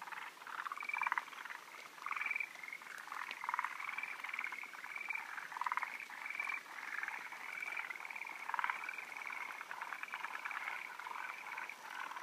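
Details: Forest green tree frogs (Japanese mori-aogaeru) give rapid, chattering croaks overlapping into a steady, busy chorus at a spawning site on 16 June 2013, where males wait at high perches for females.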